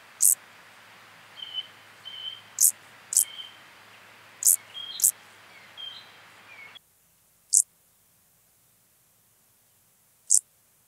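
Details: Brief, scratchy, high chirps from a field grasshopper at Hanfeld, Germany, 19 September 2021, spaced irregularly about a second apart. Soft tonal whistles sit in the background for the first half, then the hiss drops to near silence.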